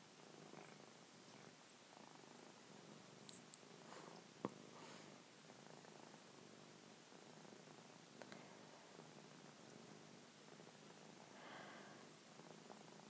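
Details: Betty, a seven-year-old female old-style seal point Siamese cat, purring indoors while being stroked; a soft, steady, continuous low rumble runs throughout, with faint rustling of hands on fur and a few small clicks.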